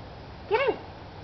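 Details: Whippet at play with its companions Chippy, Chase and Viola, giving a single short, arched yelping bark that rises and falls quickly, over quiet background hiss.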